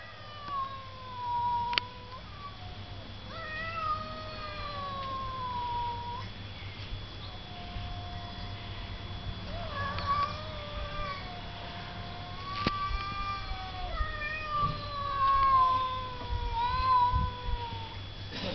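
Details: Cats trading meows back and forth: long, drawn-out, wavering calls, some rising then falling, answered in turn, over a steady electrical hum.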